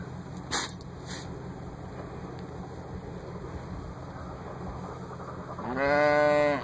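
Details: Lambs turned out onto a fresh 8 inches of snow; near the end a clear harmonic bleat rises and holds for about a second, after two brief knocks early on and a steady electronic whine throughout.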